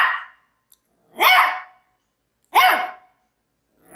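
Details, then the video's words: Maltese dog barking: three sharp, harmonic barks about every 1.3 seconds, each a short rising-then-falling burst, with silence between and no other sounds. "CACHORRO MALTÊS LATINDO 🐾SOM DE CACHORRO 🐾 BAKING MALTESE DOG"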